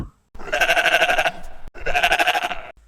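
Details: Sheep giving two wavering bleats, the first about a second long and the second slightly shorter, each with a quavering, vibrato-like tremble, separated by a brief gap.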